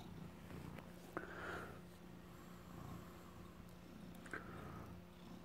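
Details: Adopted former stray tomcat guarding stolen cheese at home, purring low and continuously; two brief higher squeaky sounds break in, one early and one late, over a faint background hum.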